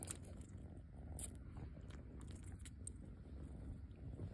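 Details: Pet rescue kitten suckling its paw pad: continuous deep purr underneath, with scattered quick smacking clicks from the sucking, a few louder ones near the start and middle.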